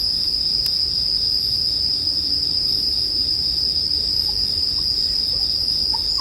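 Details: Steady shrill ringing from bell crickets mixed with bonfire sounds, one loud crackle early on and a few soft pops later, over a low background rumble.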